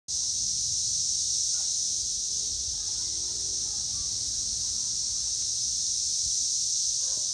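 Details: Cicadas in Northern Kentucky in 2021, a steady, unbroken high-pitched buzzing drone that holds at the same level throughout, with faint low rumble beneath.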